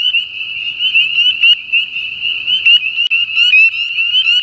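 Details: Spring peeper (Pseudacris crucifer), a winter-breeding frog of Southern Louisiana, calling: a loud, continuous high-pitched peeping band with short rising slurred notes breaking in irregularly; quiet low rumble beneath.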